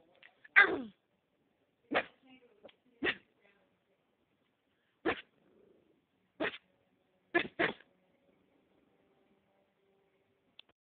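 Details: A dog gives a series of short, abrupt barks at irregular intervals, about eight in all, including a quick double bark near the end, over otherwise quiet background.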